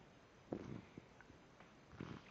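A husky-type dog gives short, grumbling whines in bursts, impatient to be taken for a walk.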